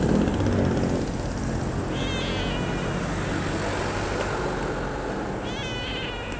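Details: Kitten found on the street, giving two short rising-falling meows about three seconds apart over steady loud traffic rumble and passing vehicles.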